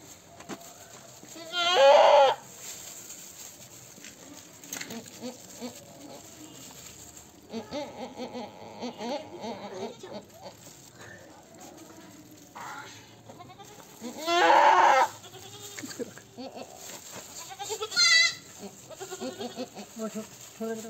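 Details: Goat at a birth rescue, a kid pulled from the mother's belly; two loud, shaky, nasal bleats stand out about thirteen seconds apart, with a shorter cry later, while people talk quietly between them.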